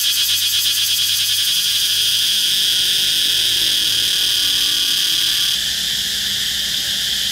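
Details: Close-range cicada on a flame tree trunk sings a loud high buzzing drone with fast pulsations, dropping slightly in intensity and changing tone after five seconds.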